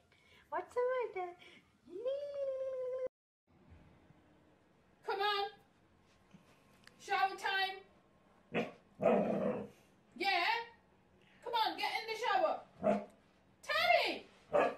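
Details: Siberian Husky 'talking': a run of short whiny yips and yodelling whines, some rising and falling, others clipped, spaced through the stretch with brief quiet gaps and a low steady hum underneath.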